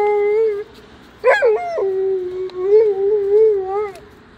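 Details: An Alaskan Malamute in the snow gives a loud, sustained, tonal howl. The steady tone wavers slightly, then breaks into a sharp yelping burst at about one second, before resuming with long, gently undulating howled notes. There is little background noise.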